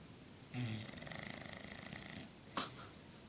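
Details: Gracie, a dog described as fat and lazy, snores in deep sleep: one long, low, buzzing rasp lasting nearly two seconds, followed by a brief sharp click and faint breathing.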